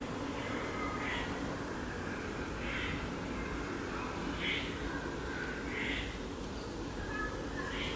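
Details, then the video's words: Fluffy Junior, a baby squirrel eating an almond in a tree, upset with a red-bellied woodpecker around the bird feeders: short, harsh kuk notes repeated about every one and a half seconds over a steady low rumble. "Fluffy Junior the baby squirrel makes kuk sounds while eating an almond in the tree"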